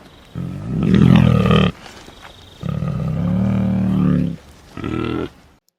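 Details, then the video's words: A Sri Lankan sloth bear in Sri Lanka gives three deep, harsh, growling roars, each lasting a second or more; a sloth bear call. "This is a recording of a sloth bear call."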